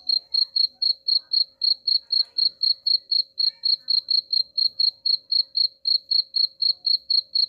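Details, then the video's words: Chirping cricket meant to drive rats away, a long even train of sharp high chirps, roughly four per second, clean and regular over a faint constant low hum. "suara jangkrik pengusir tikus ampuh"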